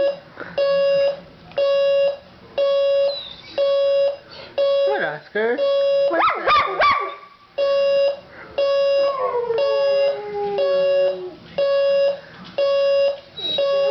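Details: Pet dog Oscar reacting to his owner's alarm clock: short whimpering yips and a falling drawn-out howl mixed among regular electronic beeps sounding about once a second, with a human voice briefly heard.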